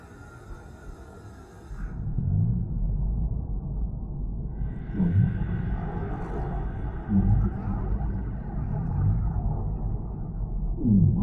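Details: Whale calls set in a deep-sea ambience meant for relaxation: a steady low rumble of water, with three short moans swooping downward spaced a few seconds apart, and a soft hiss rising and fading above.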